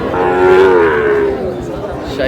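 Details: Sahiwal cattle at a crowded cattle market in Bangladesh; one sustained moo, swelling then sliding slowly downward, with traders' voices murmuring behind it.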